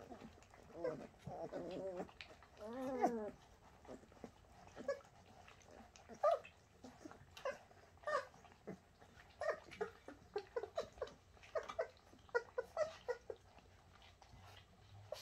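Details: Shasta puppies, Bernese Mountain Dogs, give a few drawn-out wavering whines early on, then scattered short squeaks and soft clicks and rustles through the rest of the recording.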